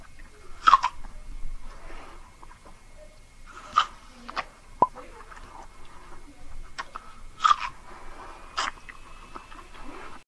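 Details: Siamese cats munching treats in a small room: loud, separate crunches every few seconds, each a short crisp snap followed by quieter chewing.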